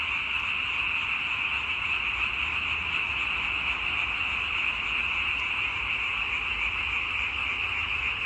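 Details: Continuous frog chorus: many callers blend into one constant, shrill, buzzing drone with no pauses or changes in loudness.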